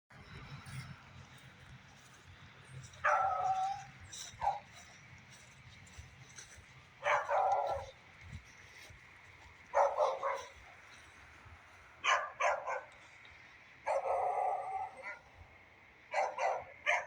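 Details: A beagle barks in the rain, giving loud, slightly drawn-out barks every couple of seconds over a steady hiss of rain.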